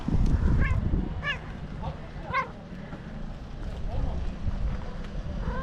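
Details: Stray tabby tomcat making strange noises while being touched, giving short chirping meows that rise and fall, four or five across a few seconds, over steady low rumbling background noise.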